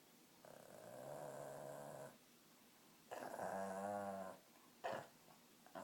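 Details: A pet dog makes an unusual sound in the middle of barking: two drawn-out, harmonic, whining growls of about two seconds and a second and a half, then a short sharp yelp, in a quiet room.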